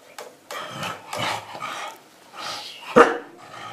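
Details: Pembroke Welsh Corgi, five years four months old, playing a complex food treat tower game indoors; several short sharp barks and yips in bursts, with a person quietly urging it to push.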